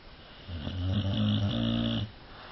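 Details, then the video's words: Cane Corso dog snoring indoors: a single loud, rough, buzzy snore lasting about a second and a half, with a low droning rumble, rising gently and then breaking off, over a faint background hiss. "Храпит собака"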